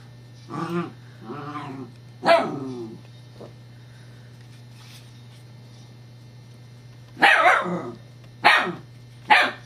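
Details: Female Scottish Terrier barking while playing with a new teething pacifier toy whose rolling disc frustrates her, recorded 7-12-11 indoors; sharp harmonic barks in two quick pairs, a pause of about four seconds, then three louder barks spaced about a second apart.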